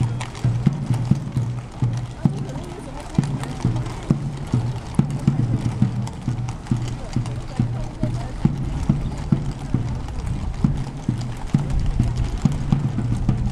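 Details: Police horses on the Grote Markt in Brussels, hooves striking the pavement in a steady clip-clop of about two beats per second, heard under speech, background music and a constant low hum.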